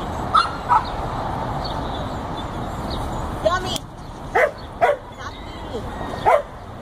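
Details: Border Collie pup, 14 weeks old, herding sheep: brief snatches of a woman's voice, then short, bright yips and barks spaced unevenly in the second half, against a low outdoor rumble.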